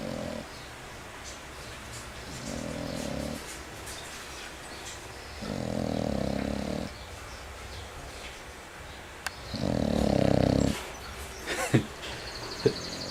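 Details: Loud snoring from an English Bulldog, rough vibrating snores repeating about every four seconds and growing stronger, with brief clicks and light room noise between breaths.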